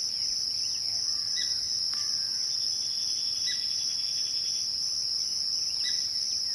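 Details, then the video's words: A twilight chorus of crickets holds one constant high-pitched ringing trill. Brief chirps and quick downward sweeps, probably birds, break in every two seconds or so. "twilight crickets"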